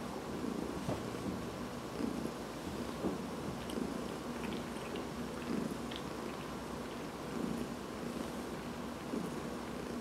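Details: Domestic cat purring while being massaged indoors on August 13, 2019; a steady low rumbling purr that swells with each breath, roughly every two seconds, with faint handling rustles.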